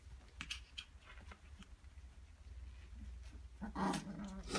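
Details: Playing husky puppies make quiet snuffles, then a clear rising whine with strong overtones toward the end, over a constant low background hum.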